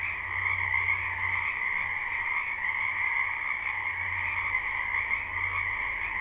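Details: Croaking frogs gathered in a wetland during spring, captured live without looping, a constant shimmering trill chorus with a low background hum coming and going.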